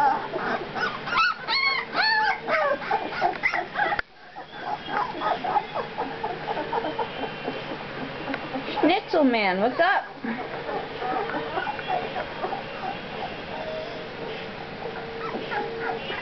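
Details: A litter of two-week-old pups squealing and whining in overlapping bursts, including a quick run of steep up-and-down yelps midway, with a person talking softly in the background.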